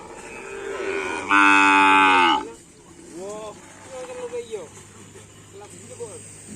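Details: Cattle at a karapan sapi (bull racing) training session in Indonesia: one loud, harmonic-rich moo lasting about a second, followed by several shorter upward-sweeping calls, with background chatter and crowd noise.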